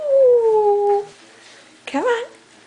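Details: Foster dog indoors howling happily while being coaxed by its carer: a long smooth falling howl lasting about a second, followed after a pause by a short rising yelping vocalisation.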